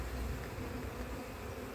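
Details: Bees crowding a frame as a beekeeper searches for eggs and the queen in a split colony after failed first matings during cold weather, 2024; an even, low-pitched droning buzz throughout.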